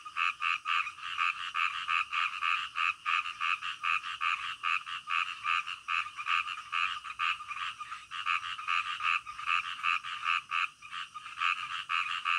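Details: Frogs calling in the middle of the night: dense, rapid croaking pulses, roughly two to three per second, overlapping into a steady chorus with bright, buzzy tones.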